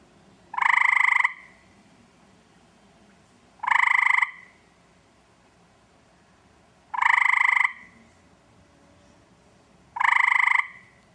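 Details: An Eastern gray treefrog calls in a backyard, looking for a mate, giving short, musical trills, each under a second, repeated about every three seconds.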